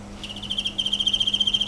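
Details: Emma field cricket trilling: a steady high pure tone made of rapid regular pulses, louder in the second half, over a low constant hum.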